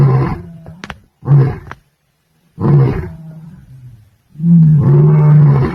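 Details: A male lion, Osupaat, patrolling his territory on the plains of the Masai Mara, roars in deep, powerful bursts, each low moaning call separated by brief pauses.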